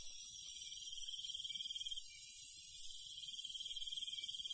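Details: A steady chorus of crickets and other night insects in the countryside, chirping high and shimmering with overlapping callers, on a quiet night.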